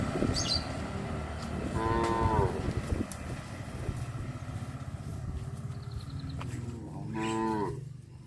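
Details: Cows from a traditional village farm walk along the village road to the livestock pen in the afternoon; two drawn-out, harmonic moos, the second near the end, over a steady low rumble of movement and background noise.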